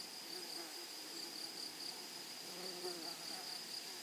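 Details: A short stretch of grasshopper song from a flowering prairie meadow: a thin, high, steady buzz with slight wavering pulses over a soft background hiss.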